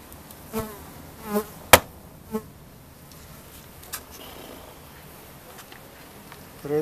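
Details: Honeybees of a colony that held bees on about five frames, recorded at a home apiary on 3 November 2021. Short droning buzzes pass close by several times, each lasting under a second, with a sharp knock and soft background hiss.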